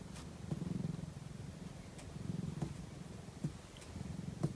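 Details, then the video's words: Napping domestic cat purring: a low rumbling drone swelling in soft bursts roughly every second or two, with faint clicks and a quiet indoor background. "ひたすらゴロゴロ音を奏でるお昼寝中の猫｡Cat’s purring sound."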